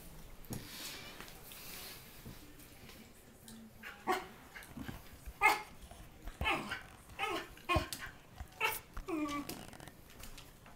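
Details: Argyle, a male Fox Terrier, barks indoors while working out how to open a door to reach his prize. A quiet opening gives way to short, sharp barks roughly every half second from midway, some edged with a whiny tone.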